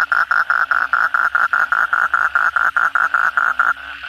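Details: At night after a heavy downpour, an Asian common toad gives rapid, evenly spaced rasping pulses, roughly four to five a second, which stop near the end, leaving a faint chorus of other frogs.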